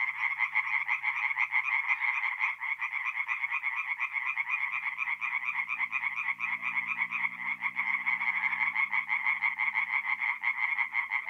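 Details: Chorus of tree frogs singing at night at a forest pond in mid-April in north-east Italy: dense overlapping rapid croaking pulses, a continuous rattling wall with a faint low hum beneath.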